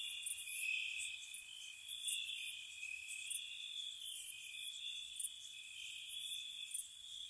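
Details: Spring cottage night with crickets, a dense, steady high buzzing drone overlaid by piercing chirp bursts recurring about once a second.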